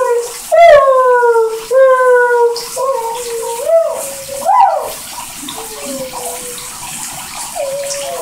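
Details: Airedale Terrier howling in the shower: long sustained tones that slide and waver, in several drawn-out notes with brief breaks between them, over a steady hiss of running water.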